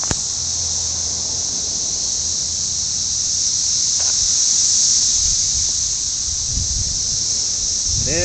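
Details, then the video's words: Vast numbers of red-eyed cicadas singing for mates. Their continuous high electric whine swells slightly in the middle, and a voice begins speaking right at the close. "Cicadas singing?"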